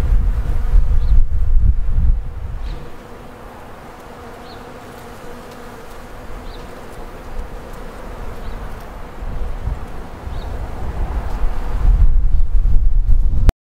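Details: Several honey bees working Daphne bholua blossoms in a late-winter garden in early February, foraging near their hives during a short weather window; a low humming drone, louder at the start and end, with faint faraway bird notes.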